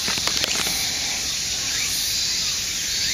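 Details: Cicadas massed in a park chorus at Aoba-no-mori Park on 6 September, a continuous bright high-pitched hiss, some brief clicks near the start and a faint rising bird note.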